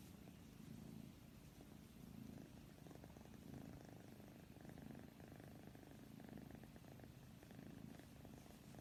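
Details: Domestic cat purring softly and close. A low, rumbling purr throbs in steady rhythmic waves, with faint indoor background hiss.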